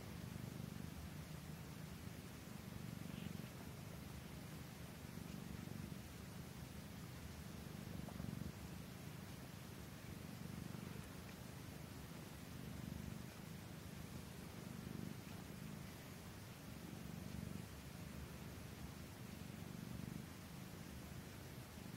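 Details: Anandi, a Norwegian Forest Cat, purrs during feeding; continuous deep rhythmic rumble rising and falling in regular cycles under a hiss of background noise.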